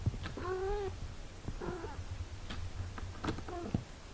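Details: Domestic cat mother tending eight-day-old kittens; three short harmonic meows, one near the start, one midway and a brief one near the end, separated by clicks and rustles over a low background hum.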